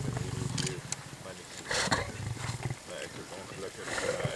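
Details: Three dominant Mapogo male lions feeding on buffalo they caught in the western Sabi Sand between July 2011 and March 2012. Deep, rumbling growls with rough snarling bursts, and quiet human speech in the background.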